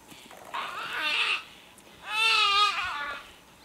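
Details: Young nyala calf in the wild, crying desperately after being caught by a leopard while its mother tries to distract the predator; two drawn-out, quavering, harmonic bleats about a second each, separated by a short pause, over faint background hiss.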